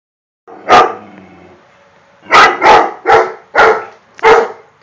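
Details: Pet dog barking at a painting: one sharp bark, a pause, then a quick series of five loud barks, each broadband and abrupt, with a faint low growl-like undertone early on.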